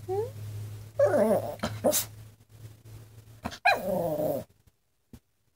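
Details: Yorkshire Terrier indoors trying to communicate with its owner: two drawn-out whiny, warbling vocal bursts with wavering, bending pitch, separated by a pause, ending with a brief click; a person talks to the dog in between.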